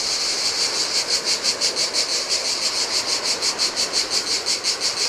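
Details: ['Cicada chorus in summer heat on a Greek island beach by the Adriatic: loud high buzzing that throbs in regular pulses about four times a second, with faint wave noise below.']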